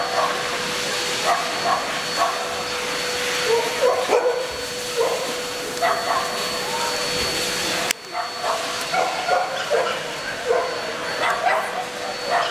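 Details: At a Murcia dog show on 12 November 2016, three Welsh Springer Spaniel junior bitches named Fable, Holly and Arwen; scattered yelping barks rise from a busy, noisy hall with a constant electrical tone and a sudden break midway.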